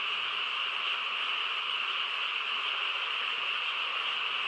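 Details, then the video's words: Frogs chorus through a quiet countryside night: a dense, unbroken wash of overlapping calls forming a steady high drone, with no single voice standing out and no other sounds. "고요한 시골 밤에 개구리 합창 소리"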